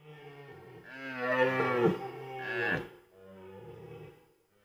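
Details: Rutting red deer in Białowieża Forest, Poland, autumn 2023, gives a long, throaty roar. It opens low, rises into two loud, rasping bursts and fades into a softer, groaning tail over about four seconds.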